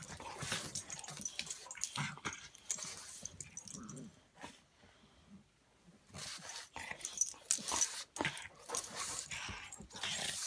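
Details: Buster the pug and Patton the English mastiff play-fighting indoors: rough snorts, huffs and low grumbling growls in scuffling bursts, a quiet pause midway, then more noisy tussling with breathy snuffles.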